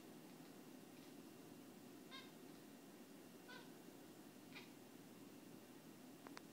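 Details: Bucky, a pet cat, excitedly squeaks and clicks at a moth on the window: four short, bright chirps spaced about a second apart, then a sharp click near the end, over a steady low background hiss.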